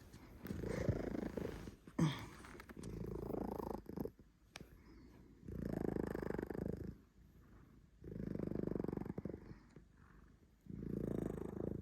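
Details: A domestic cat snoring and shifting into purring: low rumbling bursts, each about one to one and a half seconds long, separated by short quieter gaps, repeating steadily in a small indoor room.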